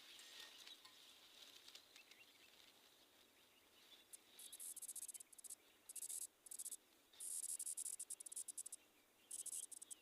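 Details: Cricket, whose sound is likened to jungle music, trills in bursts of shrill, very high buzzing pulses from about four seconds onward, after a fainter continuous high hiss with scattered clicks.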